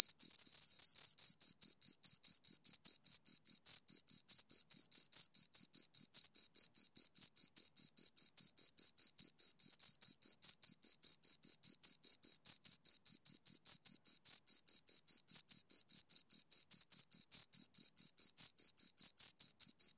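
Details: Twenty seconds of two crickets chirping: a brief denser burst at the start, then a long unbroken run of quick, high, metallic chirps at a fast steady pace, with no other noise.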